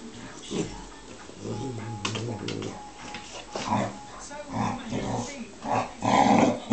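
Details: Playful tussle between Sophie, a Bearcoat Shar-Pei, and Flynn, a Tibetan Mastiff: low grumbling growls and huffs rise and fall throughout, louder toward the end, with a thin whine-like tone mixed in.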